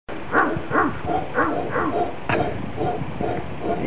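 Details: Howler monkeys in Nicaragua, 2013, a couple of them answering a guide's howls: a string of hoarse, arching grunt-like calls, roughly two or three per second, over a steady forest background.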